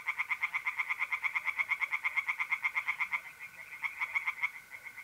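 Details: Tree frogs calling from a pond at night in mid-April, north-east Italy. Loud, rapid, evenly pulsed croaks run fast and unbroken, falter after three seconds, then resume, with a thin steady mole cricket trill underneath.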